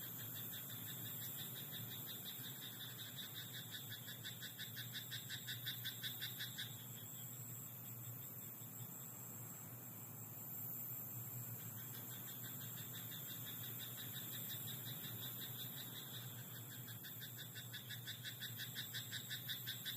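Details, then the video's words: Frogs croaking in a rice paddy at night: rapid pulsed trains of rattling croaks run for about six seconds, pause briefly, then resume, over a steady high hiss and a low hum. "田んぼのカエル "Croaking frog in rice paddy at night""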